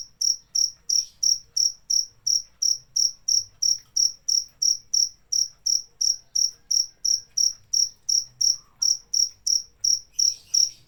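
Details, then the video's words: Cricket chirping steadily, about three sharp high-pitched chirps per second, roughly 32 in a row, each a short bright pulse with a faint higher overtone, over a quiet low background hum. "Suara Jangkrik"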